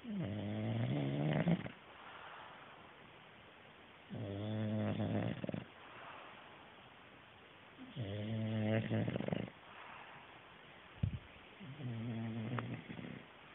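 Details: English Bulldog named Otis deeply asleep, snoring in four long rasping, harmonic bursts roughly every four seconds, with soft breathing in between.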